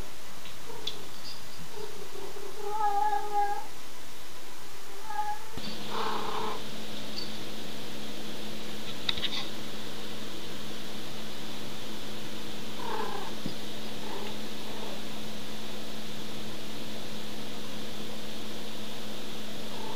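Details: Bebe, a pet cat filmed while playing, gives a few short harmonic meows in the opening seconds, then falls quiet as a steady low electrical hum continues with occasional soft knocks.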